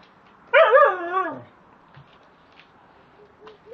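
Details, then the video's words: Three-and-a-half-month-old timberwolf cross Alaskan Malamute puppy gives one wavering, howl-like whine that bends up and down, then slides downward, followed by faint short whimpers and quiet room sounds. "Malamute puppy"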